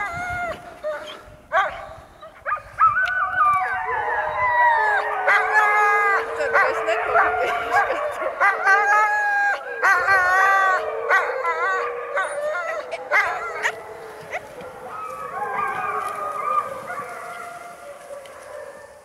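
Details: Alaskan Malamutes on a skiing outing mix wavering howls with sharp barks and yips, the chorus swelling in the middle and fading toward the end, with clattering noises throughout.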